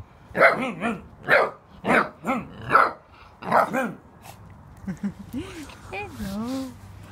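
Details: Tibetan mastiff puppies, six weeks old, having fun and barking deep; a run of six evenly spaced barks in the first four seconds, then softer whines and higher yelps.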